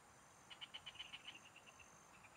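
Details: Frogs singing in the fields, recorded while fishing in the countryside: a run of quick, evenly spaced bright pulses that fade into softer, scattered notes, over a steady high insect whine.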